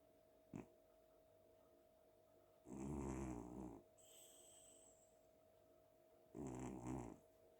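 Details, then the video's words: Domestic cat asleep on a pillow at home after a fun day, snoring: two deep, rasping breath snores about four seconds apart, each lasting roughly a second, with a brief click before them and a faint high whistling tone between. "the cat snores like a man"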